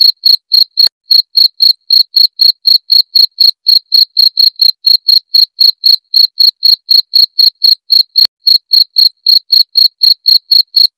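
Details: Loud, clear cricket chirping used to scare rats or to teach songbirds; a long even run of sharp high chirps, about four each second, with a couple of faint clicks in the background.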